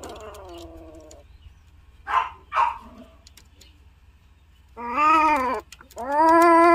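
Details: Siamese cats during a successful mating: long wavering harmonic yowls, a falling one at the start, then two sharp hissing spits, and finally two loud drawn-out caterwauls, with a low hum underneath.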